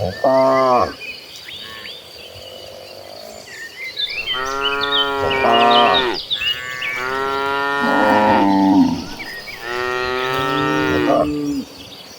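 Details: A cattle herd running across green pastures: several cows moo in long, drawn-out, rich-toned calls that overlap one another.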